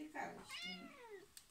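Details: Cat giving a single meow, a harmonic-rich cry that rises then slides down over about a second, preceded by a brief vocal sound and ending with two soft clicks.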